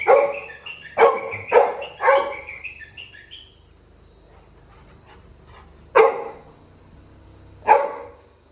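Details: Labrador Retriever puppy Little John, left behind in a village by his brother, gives loud yelps mixed with wavering whining tones, then quiet stretches broken by two single sharp cries.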